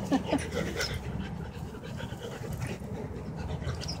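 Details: Labrador panting while playing with another retriever, two dogs together; soft breathy huffs run through the clip over rustling play noise, with a few brief squeaky whimpers near the start.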